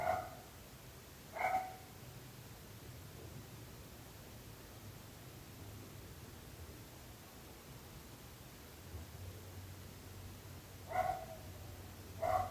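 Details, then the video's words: Dog barks in pairs, one pair opening and another closing a long quiet gap, from barking dogs said to be ruining the neighbours' peace. "26 minuts gossos lladrant / 26 minutes barking dogs"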